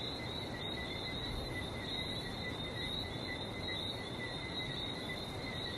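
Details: Frogs calling at night-time pace on a trip to Barbados: a dense, unbroken chorus of high, pulsing chirps forming two steady bands, one above the other, over a low background rumble.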